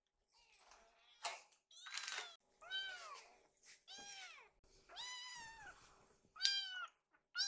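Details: Several hungry rescued kittens gather in a kitchen while their food is prepared, calling toward their caretaker; high, arching meows repeat about once a second, some overlapping, with faint kitchen clatter between them.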